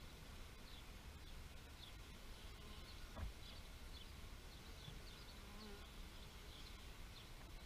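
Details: Bees buzzing outdoors, a low droning hum that swells briefly midway, set against a steady low rumble with small high chirps of birds scattered throughout.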